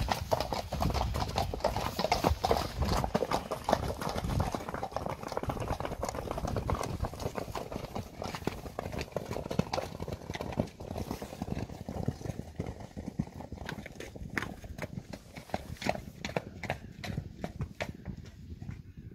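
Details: Hoofbeats of Friesian horse mares in a pasture: a steady, uneven stream of heavy thuds, roughly two to three per second, loudest early on and gradually thinning toward the end.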